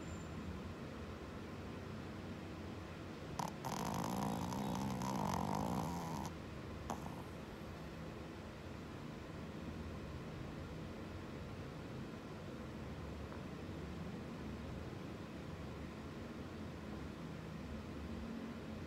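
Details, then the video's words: A Shih Tzu gives a low, rasping snore over a steady background rumble, indoors while its owner watches TV. "Snoring Shih Tzu dog"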